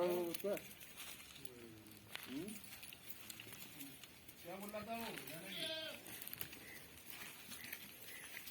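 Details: Female Barbari goat shown for sale on a farm in Domjur; several short, quavering bleats in quick succession, the clearest near five seconds, amid a man's speech and farm background.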